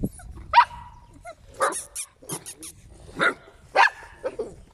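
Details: Puppies of Scarlett, eight weeks old, yapping in brief sharp barks and squeaky yips scattered irregularly, a few clicks and taps heard in the pauses.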